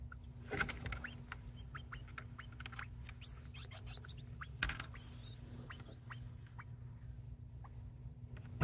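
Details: Two pet degus, Ocher calling persistently and Buff joining in as if in harmony before they calm down; thin rising and falling squeaks and a louder upward-sweeping whistle stand out against rumbling low background noise.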